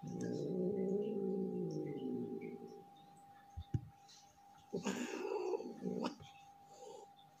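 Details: Angry domestic tomcat, described as not in the mood, hissing: a low, drawn-out wavering growl for about three seconds, then a pause and a few short, harsh, breathy hiss bursts; a faint steady electrical hum runs throughout.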